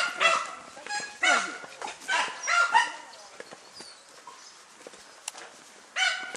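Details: German Hunting Terrier named Dunja hunting wild boar outdoors: loud, sharp, harmonic barks in uneven bursts, several close together early, then a pause before one more bark near the end, with a man's voice and rustling.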